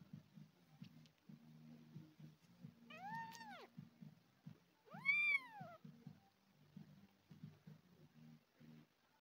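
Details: Abandoned kitten, one of two found crawling outside a garden path and meowing loudly from hunger, being fed milk replacement; two drawn-out arched meows rise then fall, over a steady low rumbling background hum.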